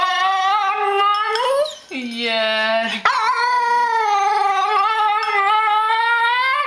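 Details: Female Tibetan Terrier singing indoors to ask for food: sustained wavering whine-howls, a lower steady tone around two seconds, then a long melodic wail with rising ends.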